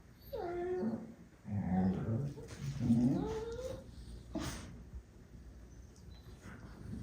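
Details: Medium goldendoodle puppies, two siblings, making odd seal-like noises while playing; bursts of moaning, wavering tones sliding up and down for about four seconds, then quieter rustling.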